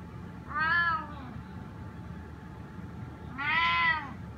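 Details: A spotted snow Bengal cat meows twice while asking to be let outside, each meow a strong, harmonic-rich, slightly arched cry under a second long, separated by a quiet pause of about two and a half seconds.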